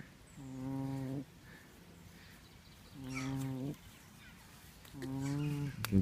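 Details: A pig snoring: three low, steady, droning tones with buzzy overtones, each under a second long and repeated about every two seconds, with faint background noise between them.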